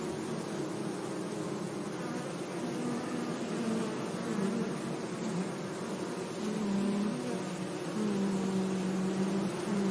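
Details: Bees buzzing among flowers in a sunny meadow, several low humming tones that slide up and down as individual insects pass closer, over a steady soft drone and faint hiss.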